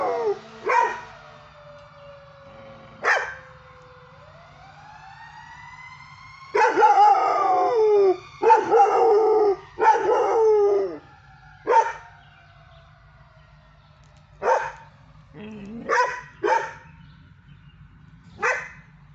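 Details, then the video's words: A 5.5-month-old, 55 lb Belgian Malinois puppy in a backyard howls in wavering, drawn-out tones broken by short yips, answering sirens. "Belgian Malinois puppy howling at sirens."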